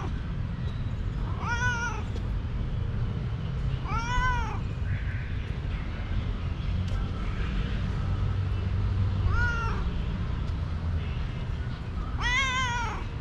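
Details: Young male cat full of energy, playing with a moth, meowing four times at irregular gaps of two to four seconds, each call a short rising-then-falling mew, over constant low-pitched background hum.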